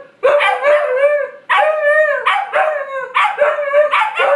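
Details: Siberian Huskies, two animals, howling: sustained wavering tones broken into bursts about every second, starting with sharp yelps, voices layered.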